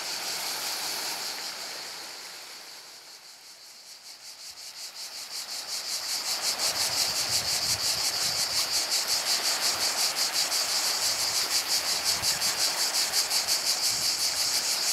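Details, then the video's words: Cicadas by the sea at Portonovo: a fainter buzzing chorus at first that dips, then swells into a loud, rapid, regular pulsed rasp, about three beats per second, over soft low surf-like rumble. "solo cicale e mare a Portonovo"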